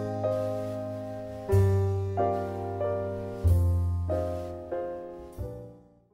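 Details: Slow, gentle piano music with notes struck about once a second and left to fade.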